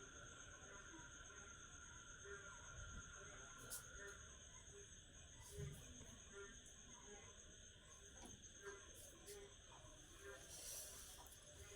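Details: After heavy rain, a dense cricket chorus keeps up unbroken shrill high trills, with frogs croaking regularly beneath and a person talking over much of it.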